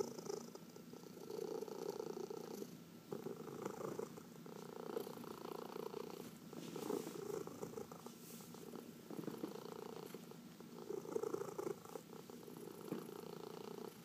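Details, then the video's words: Massaged house cat, among four pets including senior cats adopted from the Humane Society of New York City, purring in long breathy cycles of rumble and pause for fourteen seconds, quiet indoor background. "Four Purring Cats — Cat Massage"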